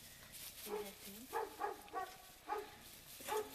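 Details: Central Asian Shepherd Dog (alabai) puppies, five weeks old: a run of short, high yelping barks and yips, about six in quick succession, with low human speech faintly underneath.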